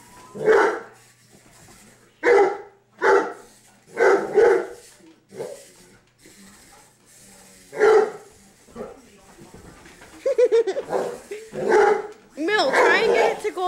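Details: Dozer, a seven-month-old English mastiff, plays indoors by chasing a remote control buggy car. He gives a long run of deep, gruff barks in short bursts, several in quick pairs, ending in a more excited jumble.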